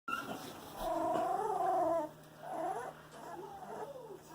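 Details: Eighteen-day-old Boxer puppies moving around and making noise: a long wavering whine, then shorter rising and falling squeaky whimpers, with a steady low hum underneath.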